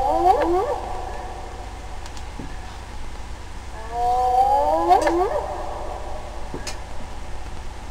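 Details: Spotted hyena, possibly one or more animals calling as a solo or duet: two bursts of wavering, tonal cries that slide downward in overlapping layers, near the start and again around the fifth second, with low steady hum beneath.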